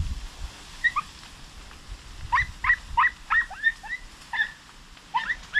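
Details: Young Podenco hounds on a rabbit hunt in open fields give short, sharp, high-pitched yelps in irregular clusters of two or three, over a soft background of rustling and low rumble.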